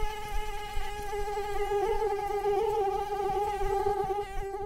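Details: Mosquito whine, steady and reedy, with the pitch wobbling gently up and down as it flies. It stays loud and unbroken for the whole stretch.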